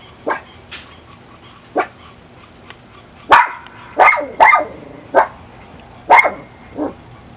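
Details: An excited 2-year-old female Miniature Pinscher barks wildly in sharp, high yaps, some quick and clipped, others louder and drawn out, as she gets ready to be let out into the back yard.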